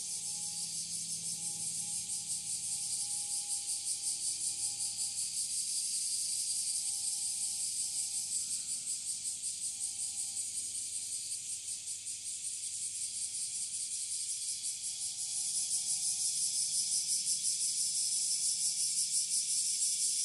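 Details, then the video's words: A bear cicada in northern Kyushu, heard from a little distance on 26 July 2023 just after the rainy season ended, sings a loud, harsh, pulsing full-power buzz that runs on without pause. "クマゼミの全力鳴き ～ 少し離れて"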